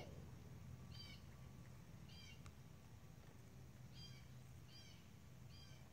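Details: Domestic cat hunting a moth gives five short, high chirping calls, each a quick bright trill, spaced roughly a second apart, over a steady low hum.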